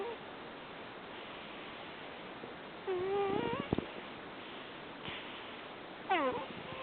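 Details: Rescued cat from a shelter in Fukui, Japan, sound asleep and snoring with soft 'puu puu' sounds: two squeaky, whistled nasal tones about three seconds apart, the first wavering then breaking into quick pulses, the second sliding down, over steady background hiss.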